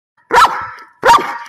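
A Belgian Malinois gives two loud, sharp barks about three-quarters of a second apart.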